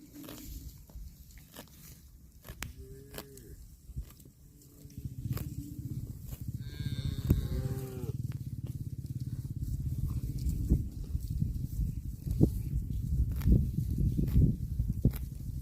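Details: Cattle eating grass give short, tonal moos in the middle of the recording, near the third and seventh seconds, over a constant low crunching and rumbling backdrop with scattered clicks.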